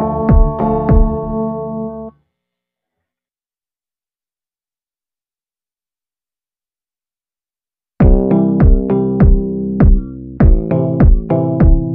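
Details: Bright electric piano chords with a drum-machine beat play, break off into several seconds of silence, then resume; no animal sound is heard.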